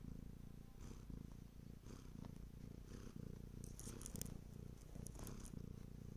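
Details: Low, steady purring from a Bengal cat, rising and falling with its breathing, with a few light rustles and ticks partway through.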